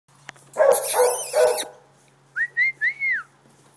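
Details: Great Dane Rosie having fun running around after one week; a burst of loud, rough barks is followed by several short, clear rising-and-falling human whistles.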